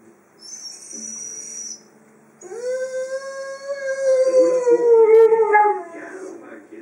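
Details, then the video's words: Freja the Dobermann, a female dog playing with her toy indoors, gives a soft nasal whine and then a long, steady howl that rises slightly and wavers before breaking off, with faint high squeaky tones above. "my dobermann Freja playing with her toy and making funny noises"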